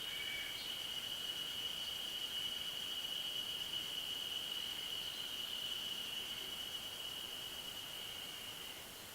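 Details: Ridge-top chorus of Yezo spring cicadas, Ashiu primeval forest, 900 m altitude, recorded 26 May 2012 with an external microphone: an unbroken shrill buzzing tone that fades slightly near the end, with a few brief higher chirps.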